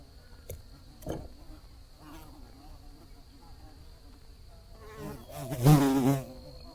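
A bee's low, wavering buzz drifts past and swells loudly near the end.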